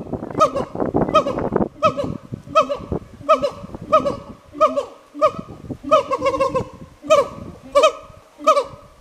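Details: Two captive siamangs calling back and forth at Hirakawa Zoo in Kagoshima, Japan: a loud series of honking, harmonic barks repeated more than once a second, with a rough, noisy burst at the start.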